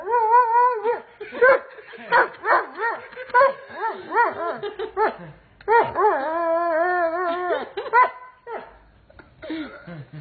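A Doberman Pinscher howls in wavering, yodel-like notes that rise and fall, with one longer held tone.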